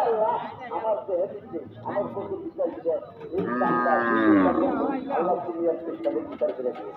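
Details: Angry cattle unloaded from a truck at a cattle market give a long, strained harmonic moo in the middle, amid constant chatter of many people nearby.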